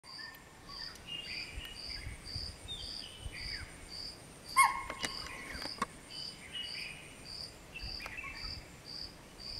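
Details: Spotted deer alarm call at around 5:30 am, given on spotting a person sitting on a machaan while its family tried to reach a lake to drink: a few sharp, shrill calls near the middle over steady pulsing crickets.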